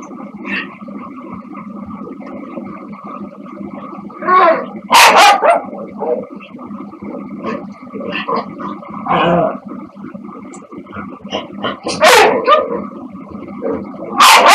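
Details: Two dogs over ten years old, a corgi-lab mix and a shih tzu-poodle mix, playing with a person; sharp loud barks and yips in bursts around five, nine, twelve and fourteen seconds, with growly noise and talking between.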